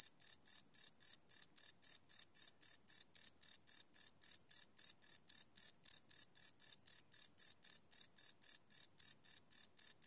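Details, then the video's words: Crickets at night, recorded live without loops on a Sony PCM D100: a continuous train of piercing high chirps, evenly spaced several per second, steady in loudness throughout, nothing else audible. "Cricket Chirp Sound - Cricket Sounds at Night"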